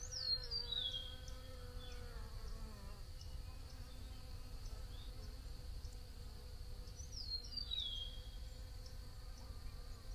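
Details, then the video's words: Continuous bee buzz, a low humming drone with gently shifting pitch, while short falling bird chirps sound twice above it over a soft background rumble. "Bee Buzzing Sounds"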